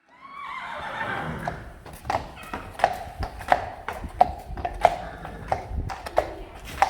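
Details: Friesian horse at a stable of Friesians, close to the time they go inside for the winter season, lets out a loud, shaky whinny that falls in pitch over about one and a half seconds, then hooves clip-clop sharply several times.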